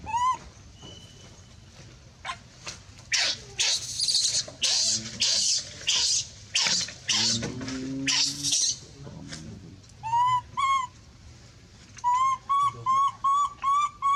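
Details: Monkey crying out loudly for help, with a dense run of harsh, broadband screams in the middle, then a string of short, clear whistled wails repeated roughly twice a second toward the end.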